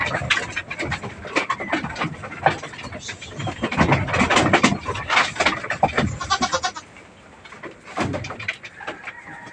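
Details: Goats on a backyard farm, some of them thin, being given vitamins along with deworming treatment; short harmonic bleats rise through busy clattering and handling noise, with human voices talking in the background.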